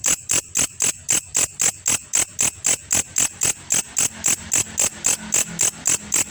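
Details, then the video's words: Grasshopper known locally as belalang kecek, recorded as birdsong-training master: rapid scratchy chirps at a steady beat of nearly four per second, hissing and high, with a faint low hum behind them later. "belalang masteran burung juara"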